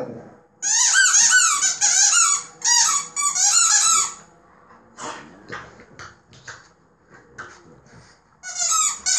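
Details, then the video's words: Playing French Bulldog puppy indoors lets out loud bursts of shrill, squeaky whines for about three seconds, followed by quieter scuffling and rustling, then another short squeaky outburst. "Puppy French Bulldog funny crying / Buldog francuski bawi się i warczy."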